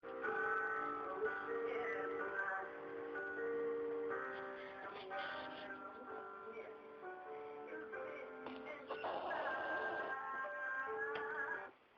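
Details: Soft background music with synthetic vocal tones and sustained notes plays throughout, with no snoring or other animal sound audible.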